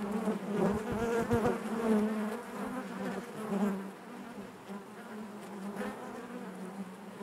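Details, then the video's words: Inside a honey bee hive, a thick low drone with rich harmonics, louder and busier at the start with quick crackling taps, then fading to a softer, steadier hum. "bees therapy hive natural buzzing sound"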